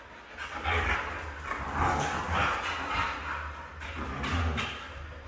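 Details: Red female Siberian Husky making softer, wavering moaning sounds in a continuous chatter of short rising and falling syllables, with a constant low hum behind.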